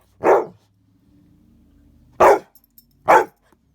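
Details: Dogs playing indoors on a wet, icy day, a big dog with a small rescue pup: three loud, broad barks, one near the start and a close pair about a second later, with a faint low murmur between.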